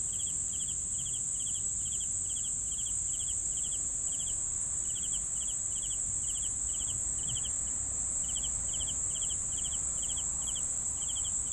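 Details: Crickets chirping steadily in short pulsed bursts of three or four notes, about two bursts a second, over a continuous high shrill insect drone and faint low rumble.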